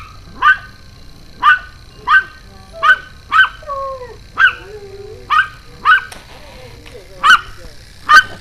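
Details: Excited Pomeranian jumping and barking, recorded June 2012 at evening: sharp single yaps spaced about every half second to second, broken by thin rising whines, over a faint steady hum.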